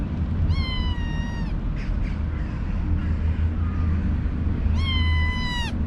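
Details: A kitten in a cage of nine newly arrived kittens meows in the morning: two clear, high, drawn-out meows about four seconds apart, with a faint short cry between and constant low-pitched background hum.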